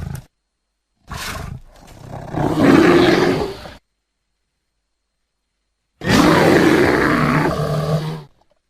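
A bear gives deep, rough roaring growls in two long bursts with a pause between.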